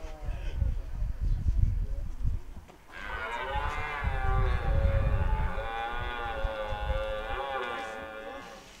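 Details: Red deer in rut at De Hoge Veluwe park, 2023, at a spot where a ranger feeds them apples; a long, hoarse, richly harmonic roar sustained for nearly six seconds after rustling and low outdoor noise.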